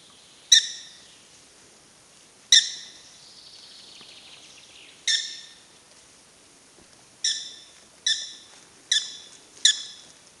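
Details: At Wildpark Frankfurt/Oder, prairie dogs call in crisp, high, barking chirps. Widely spaced notes at first, one trailing a soft descending tail, then a quicker cluster of four closely spaced chirps toward the end.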